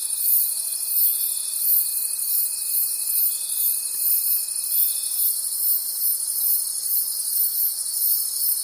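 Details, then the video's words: Night forest crickets chirping together, a shrill continuous trilling with regular pulsing beats about three per second; a steady thin tone runs for the first five seconds, then only the massed high chorus remains. "Cricket Conversations at Night"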